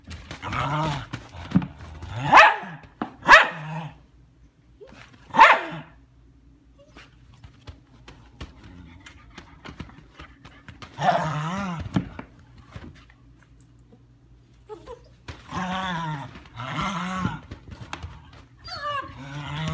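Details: Female German Shepherd puppy Leia, 10 weeks old, playing: bursts of sharp barks early on, then longer rough, wavering growly barks later, separated by near-silent stretches indoors.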